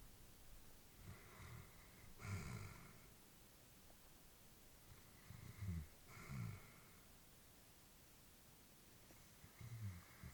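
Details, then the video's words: Aged female Labrador Retriever sleeping peacefully inside, slow breaths with soft snorting puffs roughly every few seconds, paired huffs near the middle, hushed room. "Elderly dog sleeping with breathing sounds"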